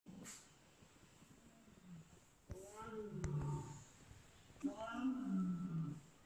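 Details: A Boston Terrier puppy seeing a lion for the first time gives drawn-out, throaty woofs that rise and fall, while a person speaks softly nearby.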